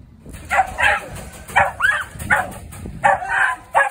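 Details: Six-month-old Jagdterrier working dog named Reggie, in Kent, giving short, sharp barks, mostly in quick pairs, about seven over four seconds, with a brief rising yelp partway through, against a low background rumble.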